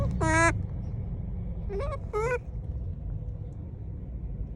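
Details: Monkey calls directed at people, one long strained harmonic cry followed by two shorter rising calls in quick succession, with low background rumble.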